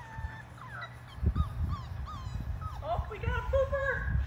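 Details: Six Labrador Retriever puppies aged five weeks splash in a baby pool filled with water; repeated short, sliding whimpers and squeals mix with low thumps and splashes of paddling pups.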